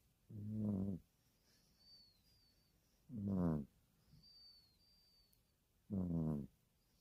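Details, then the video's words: Dog snoring: three deep rasping snores roughly every two and a half to three seconds, each a low rattling pulsed rumble lasting under a second, with faint high chirping in the background between them. "세계1위 강아지 코골이"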